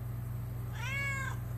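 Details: Cat conversing with its owner indoors gives one clear arched meow, rising and falling over about half a second, above a steady low hum.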